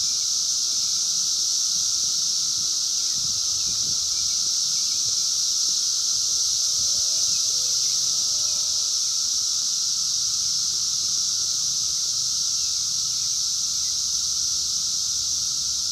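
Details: Wild 17-year periodical cicadas of Brood X during the 2021 emergence, recorded on a phone: a dense, unbroken high hissing chorus with a steady lower droning tone beneath, plus faint rustling and soft low background rumble.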